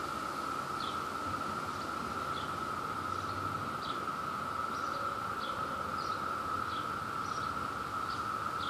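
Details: New Jersey Brood II cicadas chorusing in mating season: a continuous shrill steady drone, overlaid by short descending high chirps repeated roughly every second, plus a brief low hum around the middle.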